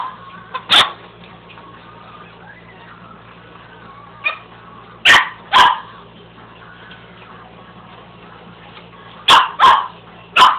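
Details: House dog barking at a carpet sweeper, with scattered sharp barks separated by long gaps filled by the sweeper's steady low drone, a pair near the middle and a quick cluster at the end.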